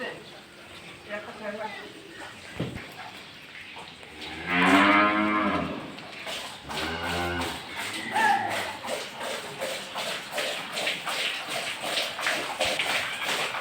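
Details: Holstein Friesian cows on a dairy farm housed in a large shed. A loud drawn-out moo with stacked harmonics, then a second shorter moo, over background music and farm clatter.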